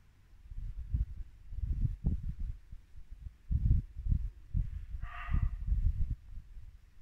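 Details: Muntjac deer barking once, abrupt and hoarse, in a Norfolk woodland at dusk during late winter, with a babbling brook rumbling low throughout.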